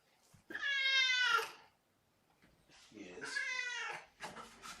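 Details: Two long meows from indoor kittens, the sisters Mimosa and Champagne, on 12 January 2018 as the visiting cat Kougra comes in; each call is clear and harmonic, lasting about a second, with a person talking softly nearby.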